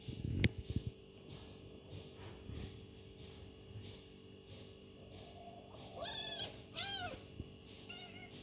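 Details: Kitten and its mother cat playing together. Two thin, rising-then-falling high meows come near the end, with a fainter third one after them. A steady electrical hum and a sharp knock early on are also heard.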